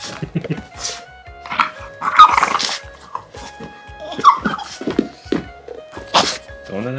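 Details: One-year-old female French Bulldog making joyful buhi-buhi grunts: short, rough, snorting bursts at irregular intervals, some sharp and loud, over steady background music with a person's voice speaking softly.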